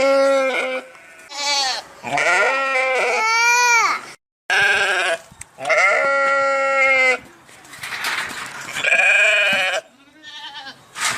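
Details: Repeated sheep bleats, rich in harmonics and quavering, come in close succession. Several overlap or follow with brief gaps, and one short silence falls near the middle.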